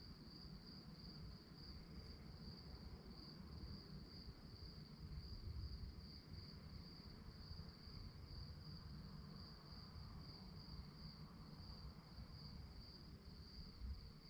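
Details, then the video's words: Continuous high, rhythmic pulsing from crickets chirping at night, accompanied by a dull low rumble and faint broadband background noise. "relaxing sounds of crickets"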